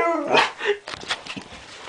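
A Chinook dog gives a brief, tuneful howl with a rich harmonic tone that breaks into rougher vocal sounds.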